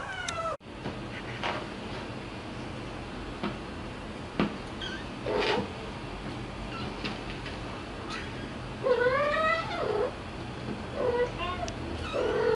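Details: Scottish Straight kittens with their mothers at mealtime; scattered short squeaks, then a loud drawn-out wavering meow and several quick high mews toward the end, over constant background hum.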